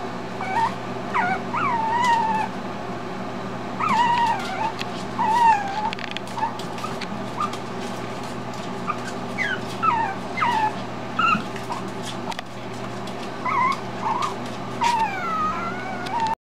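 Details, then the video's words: Male teacup Chihuahua puppy left alone in his bed, crying for his owners: high, thin whining whimpers that rise and fall, coming in repeated bursts throughout, with scattered clicking noises and a steady low hum behind. "Teacup chihuahua crying"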